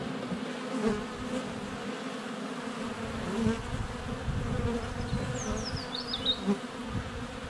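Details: A continuous hum of many honey bees swarms around a GoPro Hero 7 Black set less than a foot from the hive entrance in sunny February weather. Toward the end, a bird adds quick, high chirping notes.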